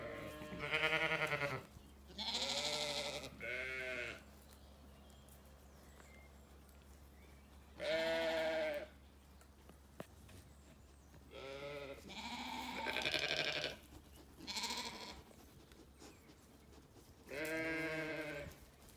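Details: Sheep in an orchard in County Kilkenny, Ireland, ewes with curious lambs on a sunny day; a series of about eight short wavering bleats spaced irregularly over nineteen seconds, some higher and brighter, from several animals.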